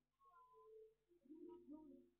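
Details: Two meows from a cat recorded with night vision. The first is a level, mid-pitched tone held for under a second. After a short pause comes a lower, fuller, slightly wavering meow. The surroundings are quiet.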